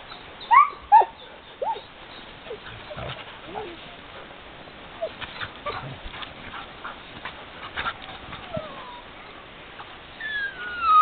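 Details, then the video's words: Sled dogs having fun: a scatter of short, high yips and squeaks, loudest in the first second, then softer yelps across a steady background hiss, with a rising whine at the very end. "sled dogs having fun"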